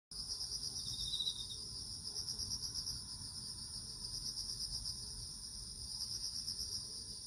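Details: Crickets in autumn: steady high pulsed chirping in two bands, continuous throughout, with a brief lower trill early on over a soft low background hum.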